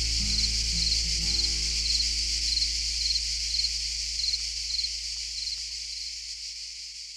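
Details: Cicadas in lavender fields in Provence sing a dense, high, sizzling drone with rhythmic pulses repeating about twice a second.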